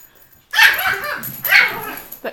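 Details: Pet dog indoors, barking excitedly at a bird that flew into the room through a little hole from the attic; two loud, harsh barks about a second apart, a short yip trailing after.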